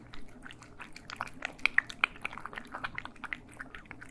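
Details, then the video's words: Cats chewing their food, captured in stereo indoors: quiet, irregular crunches and wet mastication clicks about four per second, with a few sharper bites near the middle. "ASMR Cats Eating"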